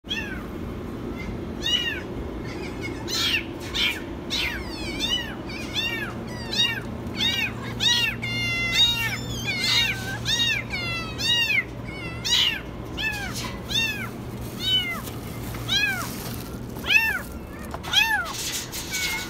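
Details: A kitten stuck in a washing machine, possibly hungry, meows insistently, with shrill, high, arching cries coming roughly once a second.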